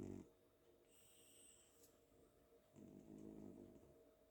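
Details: Cat asleep on a pillow at home after a playful day, snoring softly: a brief low snort at the start, a thin whistling breath, then a longer gentle rumbling snore near the end.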